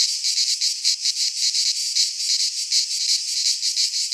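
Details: Midsummer chorus of cicadas in Greek pine woodland, a harsh shimmering buzz held without pause and pulsing in quick regular surges, a little under three per second; no other animals or voices.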